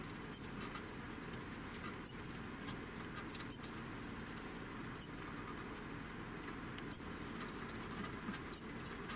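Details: An 11-month-old female degu (Octodon degus) gives very high, brief squeaky chirps, spaced every one to two seconds.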